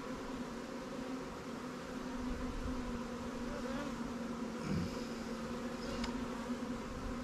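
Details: Buzzing of a honey bee colony in a fresh swarm capture in an apiary, being checked and given resources. A dense, even drone runs without pause, with a single rising buzz, perhaps a passing bee, midway through.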